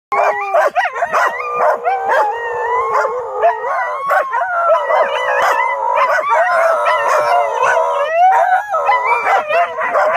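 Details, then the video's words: Dogs Cai and Apollo howling together while Flyn is excitable; overlapping sustained wavering howls with layered harmonics, broken by sharp barks and yips, continuous and loud throughout. "dogs howling, best friends being vocal"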